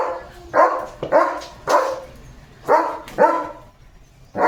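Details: German Shepherd Leo barking at cattle and goats going out to the fields: six rough, forceful barks in four and a half seconds, paired in quick doubles with short pauses between, little else audible.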